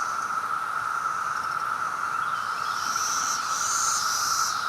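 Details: A massed chorus of Brood X periodical cicadas in Maryland in 2021, some flying, makes an unbroken humming drone at one steady pitch. Toward the end a fainter, thin, high whine rises over it.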